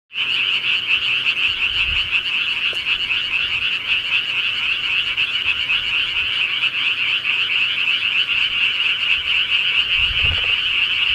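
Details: Frogs calling at night in the countryside: a dense, continuous chorus of rapid pulsing croaks massed in a high band, steady throughout with no pauses, a faint low thump near the end.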